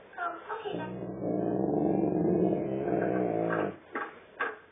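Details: Great Dane answering back to its owner indoors: a sustained, droning groan-like vocal of about two and a half seconds, rich and buzzy, bracketed by a man's scolding speech before and after, in a small room.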